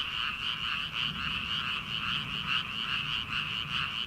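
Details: Frogs calling from rice paddies in early summer, before rice transplanting: a dense chorus of many overlapping callers, with rapid pulsed croaks about a second apart layered over a steady high trill.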